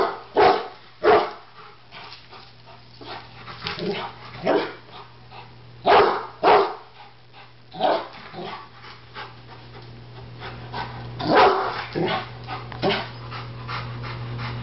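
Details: Alarmed Rottweiler barking at a backyard barbecue grill, a Doberman nearby; a long run of short, gruff barks, some in quick pairs, gradually spacing out amid panting and a steady background hum.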